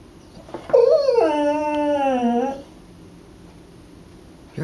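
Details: Pet dog Savannah, said to think she is a Beagle, howling at her reflection in the house's front window; a rich, mournful howl sliding downward over nearly two seconds with strong harmonics, after a brief rising whimper, in a quiet room.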